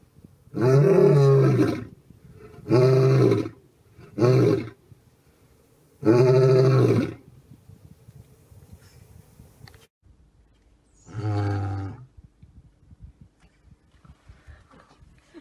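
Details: A lion in Botswana gives a series of deep, rough roars, each about a second long, with short pauses between.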